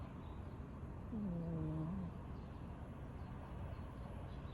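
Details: One low, nasal snore from a sleeping domestic cat, lasting about a second with a slight upward lift at the end, then quiet background hum.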